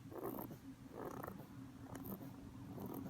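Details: ['Domestic rabbit asleep on its back, snoring in deep sleep: gentle rasping breaths about once a second, low and husky, some slightly longer than others, with a constant low background hum.']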